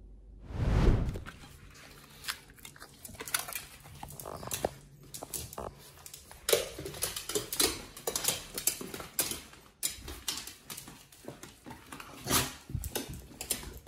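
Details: Nomyen, a Pit Bull on a raw diet, eats a combo of New Zealand green-lipped mussels, beef brisket, liver, green tripe and chicken: scattered crunches and wet smacks, irregular bites after one loud thump.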